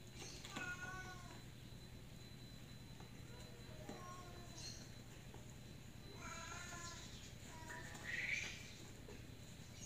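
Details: Domestic cat named Miko stuck on roof tiles, able to climb up but not get down, with another cat, Kuro, nearby; several faint, drawn-out harmonic meows at about one, four, six and eight seconds over a steady low hum and distant voices.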